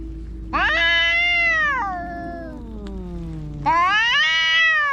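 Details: Fighting cats: a loud drawn yowl over a second long, then a low sliding moan, then another harsh rising howl, all strongly harmonic.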